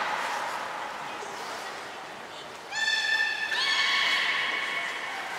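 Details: Belugas Mirai and Nico during a training session at Port of Nagoya Public Aquarium on 20 February 2021: after a hissy, breathy wash, a bright harmonic whistled call enters mid-clip and steps slightly higher, holding steady to the end.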